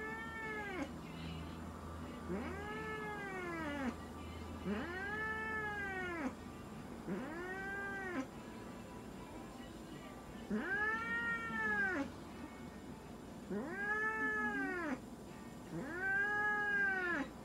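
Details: During a veterinary checkup and blood sampling in Nagoya, Japan, Munchkin cat Moka gives a run of about nine arched, complaining meows, each rising and falling, repeated roughly every two seconds with brief pauses, over low room hum.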